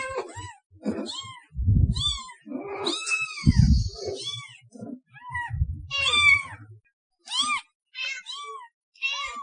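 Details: Meowing cats, offered as a sound to attract cats. Bright, arching meows come one after another, a few longer and wavering, with brief low thuds and handling noise underneath and a short pause near the end.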